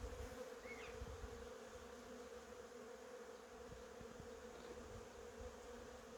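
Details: Honey bees in cherry blossoms hum in a steady, unbroken drone over a soft hiss, with one brief high bird chirp early on.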